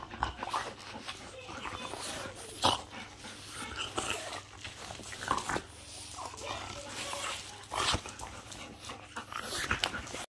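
A French Bulldog makes rough, snorting barks and panting grunts that come in uneven bursts, an aggressive display. Faint voices and a steady background hum can be heard behind it.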